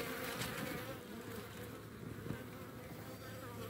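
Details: Honey bee colony at hives in Baltimore, in the morning, mobbing and dragging off a European hornet queen that dive-bombed the hive; dense, steady buzzing hum with a low drone and some irregular crackling.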